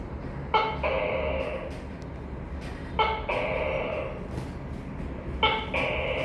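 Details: Tokay gecko calling three times, roughly every two and a half seconds; each call opens with a sharp clipped bark and stretches into a longer, nasal, harmonic second syllable, over a low steady background hum.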